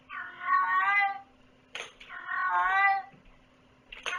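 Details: Domestic cat giving two long, drawn-out, wavering meows inside a room, each about a second long, separated by sharp clattering knocks, with a low steady hum in the background.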